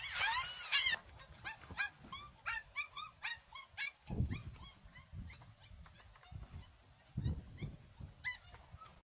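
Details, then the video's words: An adult African golden wolf from a family group gives a wavering, high-pitched, wolf-like howl that breaks into a fast run of short yipping notes; howls are used to keep intruders away. "Howling African Golden Wolf"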